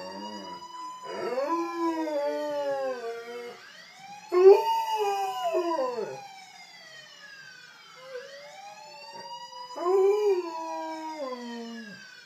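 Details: Alaskan Malamute pet dog howling in response to passing sirens: long wavering howls that slide downward in pitch, three bouts of several seconds each, over the loud rising and falling wail of an emergency vehicle siren.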